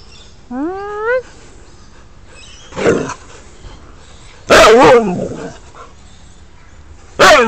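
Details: Husky or husky crossed with red cattle dog playing with a red ball; a rising whine, then a short bark, a loud harsh bark burst near the middle and another at the end, with a man praising a catch.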